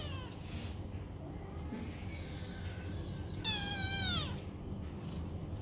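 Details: Foster kittens playing indoors in a banana-shaped bed; one loud, wavering meow that slides downward and ends abruptly, with fainter meows earlier over a steady low hum.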